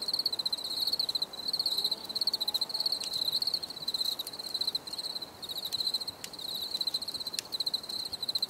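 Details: Crickets chirping steadily in a natural setting, a bright pulsed trill repeated in short bursts with brief gaps, a faint overtone above and occasional sharp clicks.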